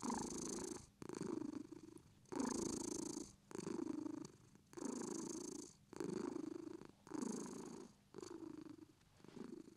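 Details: Purring British Shorthair cat: rhythmic rumbling bursts alternating with quieter breathy pauses, roughly every one to one and a half seconds, close and clear in a quiet room.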